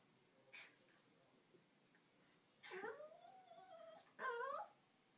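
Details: Pet dog fake crying while waiting for its wet eggplant toy to dry so fetch can resume; a faint yip, then a long wavering whine rising and falling, followed by a short higher whimper.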